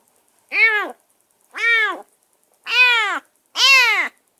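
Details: Caged rescued stray kitten in its first minutes at a new place, mewing insistently: four clear, bowed meows rising then falling, each about half a second long, evenly spaced roughly a second apart.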